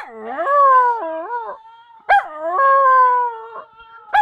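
A Siberian husky gives long, wavering howls that rise sharply, hold, then dip and trail off.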